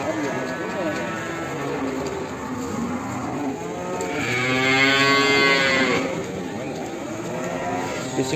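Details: Cattle at Ambarketawang, Sleman, letting out one sustained, harmonic-rich moo of about two seconds midway, over steady crowd murmur and background noise.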